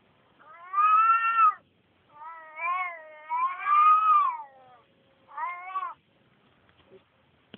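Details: Turkish Van cat calling while looking for another cat: four drawn-out, wavering meows, the second and third run together, then near silence at the end.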